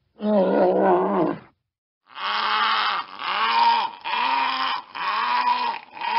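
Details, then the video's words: Walrus letting out one coarse, growling roar, a short pause, then four rhythmic, harmonically rich bellowing roars in quick succession. "Walrus Sound Effect"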